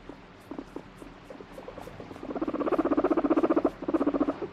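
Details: Irritable pet guinea pig, torn between being stroked and pushing the hand away, starts with scattered soft chuts, then breaks into a loud, fast, regular pulsed rumbling purr of about four pulses per second for two seconds.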